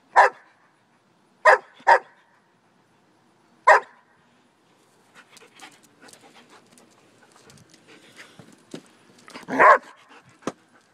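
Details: German Shepherd barks four times, sharp and loud, in the first four seconds, then softer scattered rustling and knocking sounds with one louder bark-like burst near the end.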